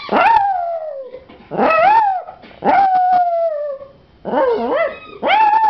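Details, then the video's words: Puppy howling in a series of drawn-out, tonal cries, each starting high then sliding down into a long wavering note, one after another with short pauses between. "puppy howling"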